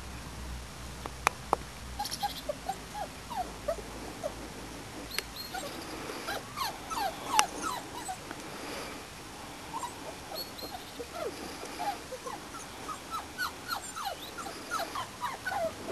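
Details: Four-and-a-half-week-old Springer Spaniel pups, the Y-litter, on their first trip outdoors, giving many short high whines and yips, brief sliding squeaks scattered throughout, with a few sharp knocks and handling noises.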